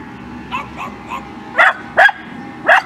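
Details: Scottish Terrier, one of two pet terriers named Kimberly and Khloe at home, giving three soft short yips, then three louder sharp yips about half a second apart, over a quiet room hum.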